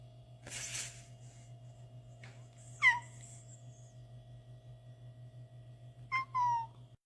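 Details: Black cat in a home among funny cat moments; after a scuffle-like noise, two short falling meows sound several seconds apart over a steady low hum.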